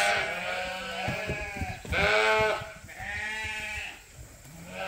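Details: Sheep on a large registered Suffolk and Poll Dorset farm bleating: several overlapping, wavering, harmonic bleats in about four bursts over five seconds, with a steady low hum underneath.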